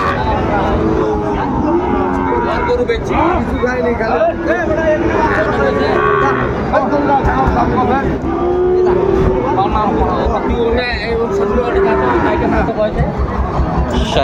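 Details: Sahiwal bull calves for sale at the Ambari cattle market, with Chattogram buyers bargaining. Several short, rising-then-falling moos come through a dense background of human voices, market bustle and passing vehicles.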